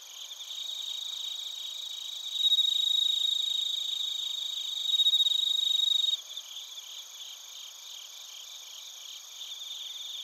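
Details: In Narita, Chiba Prefecture, Japan, bell crickets and other crickets chirp on a TASCAM Portacapture X8 recording; a nearby caller gives two bright ringing bursts over a continuous shimmering chorus of rapid high pulses, then falls silent, leaving the quieter chorus.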